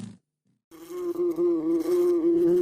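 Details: Fly buzzing after a short silence: a continuous droning hum with slightly wavering pitch, holding steady and loud throughout.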